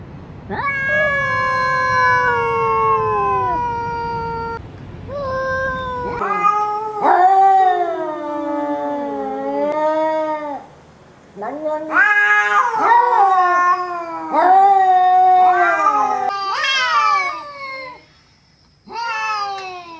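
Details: Cat meowing again and again over about twenty seconds. The calls are long, wavering and drawn out, sliding downward or curving up and down, with short gaps between them. Some calls are strained and caterwaul-like.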